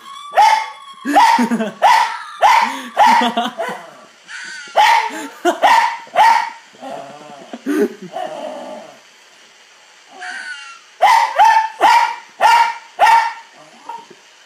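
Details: A female Cairn terrier barks at fox noises in sharp, high bursts, several quick yaps in a row with short pauses between.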